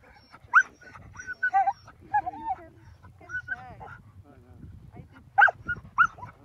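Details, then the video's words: Huskies excited before a dog sledding trip in Akureyri, Northern Iceland, giving scattered high yelps and whines, some wavering, with short bursts at the start and near the end. "Husky Dog Sledding in Northern Iceland"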